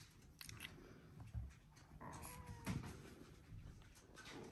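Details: A thin, drawn-out whine rises and holds for under a second from a Border Collie puppy aged one week, litter "U2" out of Selen and Max, amid muffled bumps and shuffling in a small room.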